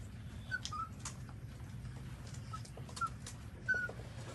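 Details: Short, thin squeaks come from newborn puppies while they nurse from their mother. The brief high peeps repeat irregularly over faint suckling clicks and a low background hum.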